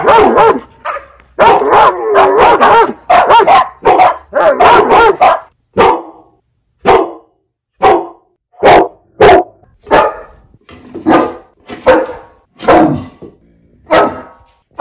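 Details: Dog barking loudly, one of fifteen breeds in a bark compilation: a dense, rapid run of overlapping barks for about five seconds, then single barks spaced roughly one second apart.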